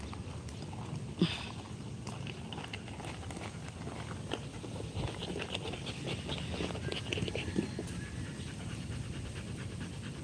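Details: Rottweiler dog breathing hard in fast, even panting pulses for about ten seconds during a live stream, with one sharp click early on and a steady low hum throughout.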